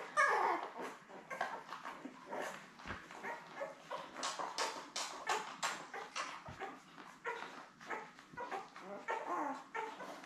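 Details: Newborn Labrador Retriever puppies, seven littermates born May 24, 2021, with their mother Belle on a live puppy cam; short high whimpers and squeaks come in irregular bursts, with soft rustling and a few low thumps.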